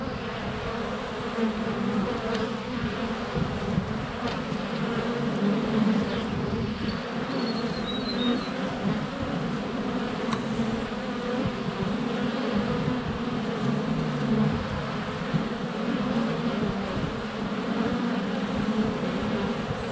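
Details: Swarm of honey bees around a hive entrance in February sunshine, recorded on a GoPro Hero 7 Black under a foot from the hive. A continuous low hum of wingbeats with shifting tones, and a brief faint bird chirp in the background.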